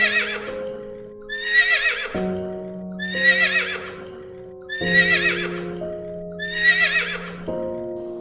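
A horse whinnies again and again, each call a shaky, high neigh over steady background music.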